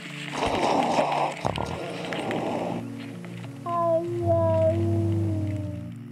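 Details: A domestic cat out for an afternoon stroll gives a drawn-out, wavering yowl when a rival cat blocks his way, over soft background music.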